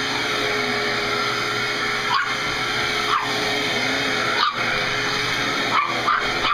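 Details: Juno, a pet dog, barking at a running vacuum cleaner and attacking it: sharp single barks every second or so, punching through the loud, steady roaring drone of the machine.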